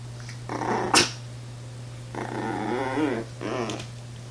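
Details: A female Chihuahua sitting on a chair, hesitating and afraid to jump down for a toy left on the floor, makes wavering grumbling whines in short bursts, with a sharp knock near the start, indoors over a low hum.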